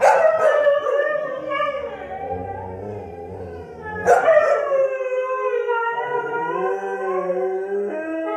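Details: An annoyed husky, pestered by English springer spaniels, howls in long, wavering, mournful tones that slide up and down, with the dogs possibly joining in.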